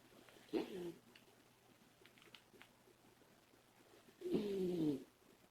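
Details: Labrador Retriever puppy snoring while asleep indoors, two rough, groaning snores with a falling tone, one near the start and a longer one near the end, quiet between.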